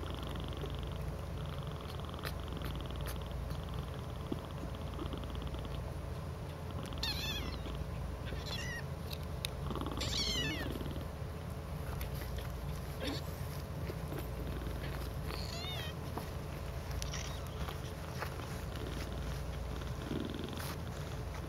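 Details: Domestic cats cuddling together in a pile, a so-called cuddle puddle, giving a low continuous rumbling purr, with a few short rising-falling meow-like chirps around the middle.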